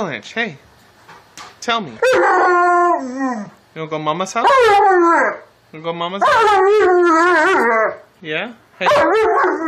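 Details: Vocal Alaskan Malamute 'talking' to its owner: a series of loud, wavering, rubbery woo-roo howls of varying length, some rising and falling in pitch, alternating with a woman's sweet-talking voice.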